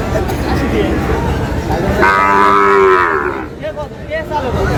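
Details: Sahiwal bull calf among cattle being bought by a farmer in Sylhet on 22 May: one loud, drawn-out harmonic moo lasting over a second, rising then sagging, over steady crowd chatter and background noise.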